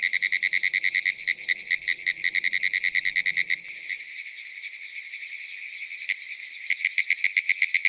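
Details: Pinewoods treefrogs (Hyla femoralis) call from young pines at the edge of a small pond in Ocala National Forest, Florida, giving fast, high, clicking pulse trains like rapid Morse code.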